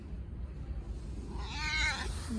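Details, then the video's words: Hungry street cat crying desperately for food: one loud, drawn-out, wavering meow lasting about half a second, rising then falling, over a steady low rumble of background noise. "배고픔에 처절한 울음소리를 내는 길고양이들 Sad cat sound"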